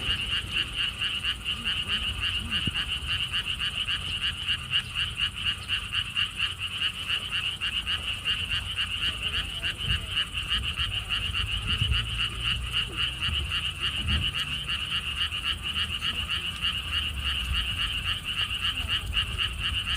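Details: Frog chorus beside lotus ponds at a theme park in Siheung, Korea: persistent rapid croaks pulsing almost four times a second from many frogs, over a low rumble of wind.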